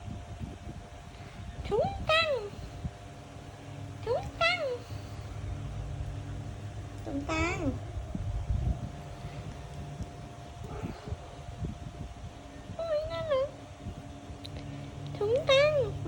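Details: Kitten gives about six short, separate meows spread through the passage, each bending up then down, with gaps of a few seconds between them. A steady hum sounds underneath.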